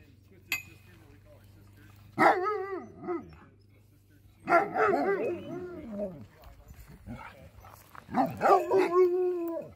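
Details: Alaskan sled dogs, trained to be comfortable around people and kept in large teams, greet a visitor with three bursts of wavering, yodelling whine-howls, each rising and falling in pitch over a second or more, with faint voices beneath.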